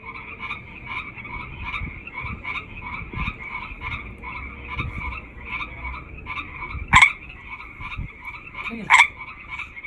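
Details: Chorus of frogs, hundreds calling together, with rapid pulsed croaks banded at two pitches repeating steadily through the background; two louder, sharp croaks from a nearer frog stand out near the end.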